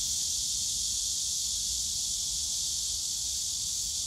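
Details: Summer cicada chorus from the bamboo grove at Yongsan Family Park: an unbroken high-pitched sizzling drone with no pauses and a steady, even level, over a faint low background hum.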